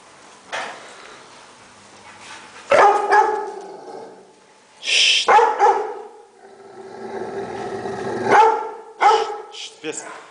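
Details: Rottweiler in Nigeria giving a few loud, harmonic barks spread irregularly through the recording, several seconds apart, some in quick pairs, with human voices and hissing shushing sounds between them.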